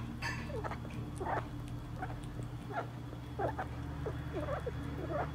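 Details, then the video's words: Bippo, a little pet rat, eating a hard-boiled quail egg, recorded 2022-07-04: short squeaky bips, some with small rising-falling wiggles, scattered irregularly over a steady low hum. "Bippo the little rat eats a hardboiled quail egg"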